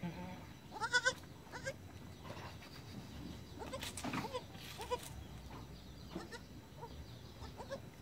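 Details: Goat kids, twins born on 1 January 2019 at dusk, taking their first steps: one loud harmonic bleat comes early, then faint rustling and scattered human voices.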